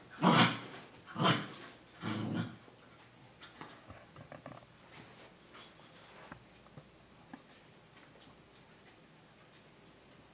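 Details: Two full-sibling dogs, Senji and Chloe, an adult and a puppy six months younger, playing together indoors: three loud rough growling bursts in the first two seconds, then quieter scattered scuffles and soft noises.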